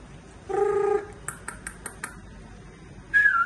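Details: Pembroke Welsh Corgi puppies about one month old, in Seri Kembangan, Malaysia, give thin, tonal whines, a steady one followed later by a higher, wavering squeal.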